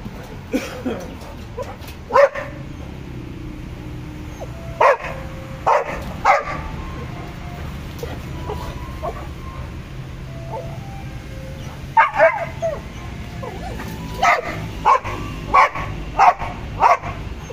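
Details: German Shepherd and Boxer dogs giving scattered short barks and yips at irregular intervals over a steady low background hum, with a few faint voices in the gaps.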